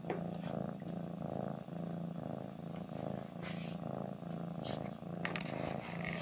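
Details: Low, rhythmic purring from a pet cat, swelling and easing with each breath about once a second, with a few light rustles and clicks.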